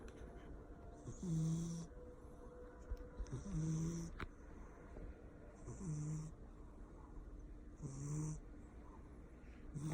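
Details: Sleeping Persian cat snoring loudly: four evenly spaced snores about every two and a half seconds, each a low droning tone with a brief rising whine, plus a breathy hiss on each breath.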